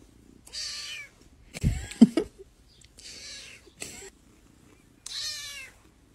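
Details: A kitten meows three times, short bright high-pitched cries spaced about two seconds apart, with a burst of thumping and handling noise between the first two calls.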